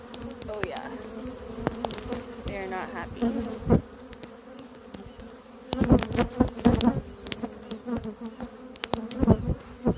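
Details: Africanized honey bees, a colony nesting inside a cable pedestal: a steady low droning hum with rich overtones, overlaid by loud irregular knocks and clattering thumps near the nest.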